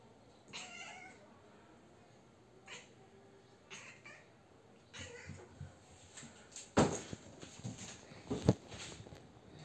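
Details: Siamese cat chattering noisily at a bug from the top of a kitchen counter indoors; short soft bursts of clicking chatter spaced a second or two apart, with a couple of sharper, louder clicks near the end.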